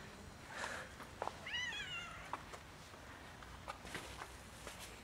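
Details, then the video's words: A cat that came up asking for a favour gives one wavering, drawn-out meow that rises and then falls, with scattered clicks and light background noise around it. "Warm beautiful cat came to me for a favor"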